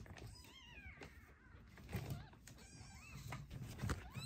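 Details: Emergency-rescued foster kittens, a sister and brother, during toilet training indoors; several thin, arching kitten meows rise and fall in quick succession over low room thumps and a person's voice.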